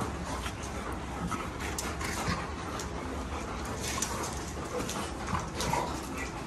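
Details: Two Golden Retrievers wrestling in excessive rough play: dense, noisy growling and scuffling that runs without pause, with scattered sharp clacks and short brighter bursts.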